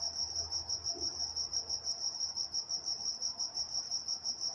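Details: Night-time crickets chorusing in Walnut, California: a bright, high, trilling pulse that swells and fades roughly three times each second, unbroken throughout, over a faint low rumble.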